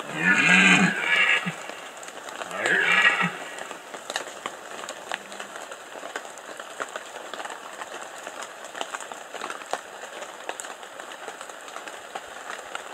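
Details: Red deer stag roaring during the 2015 rut in the Bieszczady mountains: two deep, hoarse, harmonic bellows in quick succession in the first three seconds, then steady crackling patter like rain for the rest.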